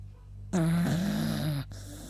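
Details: Beagle Yuta sleeps after a walk and lets out a single loud snore lasting about a second. It carries a sustained, slightly wavering nasal tone and ends abruptly, with a constant low hum in the room.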